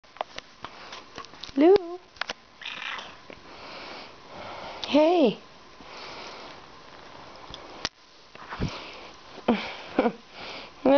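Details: Bengal cat indoors greeting someone who has just come home and wanting to be petted. Two short rising-falling meows several seconds apart, with a person talking softly and small handling noises.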